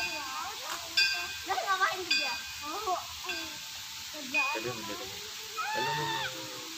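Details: Siamang morning call in a zoo: several overlapping voices give wavering, rising and falling hoots with rich harmonics, louder bursts coming roughly every one to two seconds over a steady background hiss.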